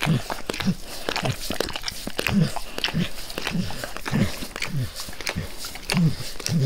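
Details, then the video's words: Max the dog licking his owner's face: rhythmic wet laps, roughly two each second, each a smacking click with a low tongue thud, recorded close without talking. "Max Licks | Face Part Tres | ASMR DOG LICKING"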